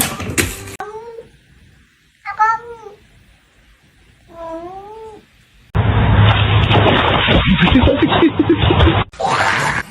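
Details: Pet cat meowing indoors: three drawn-out, wavering meows a couple of seconds apart, each rising then falling, followed by a loud, harsh, noisy stretch with mixed voices and a person asking whether the food bowl is empty.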